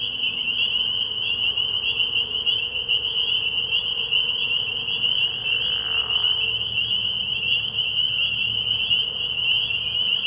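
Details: Spring peepers in full chorus at a frog pond on an early spring night. Countless high, sharp peeps overlap into a steady shrill band, with a brief soft whoosh midway.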